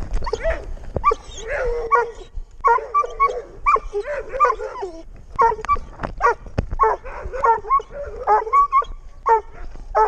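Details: Six-month-old Doberman Pinscher on a walk, filmed with a GoPro: a busy run of short harmonic yips and barks mixed with higher whining tones, coming in quick bursts with brief pauses, over light background rustle.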